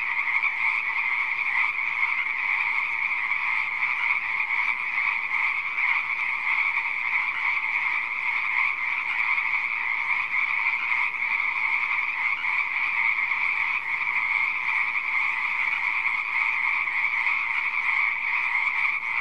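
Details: Frogs croaking in a pond give a sustained, dense chorus. Countless rapid calls blur into one even, buzzy drone that keeps a constant loudness for the whole stretch.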